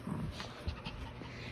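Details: A sleepy Shih Tzu gives soft, low huffing pants with a faint whimpering edge.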